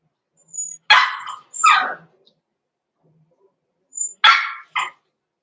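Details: Six-week-old blenheim Cavalier King Charles Spaniel puppies Roman and Blue, born November 14, 2022, in a home puppy pen: two sharp, high yipping barks, a pause of about two seconds, then another two yips, with silence between.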